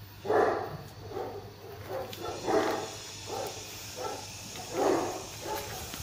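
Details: German Shepherd under a guard-dog test, barking during provocation: deep rough barks in loose bursts roughly every second, about six clear barks over a steady low hum.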